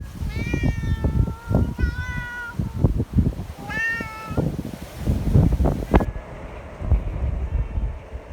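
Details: Community cats gathered outdoors in strong wind, friendly and wanting petting; three drawn-out harmonic meows in the first four seconds over heavy low wind rumble and buffeting.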